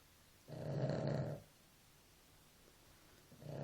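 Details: Dog asleep, giving one deep, grating snore lasting about a second. A quiet pause follows before the next snore begins at the very end.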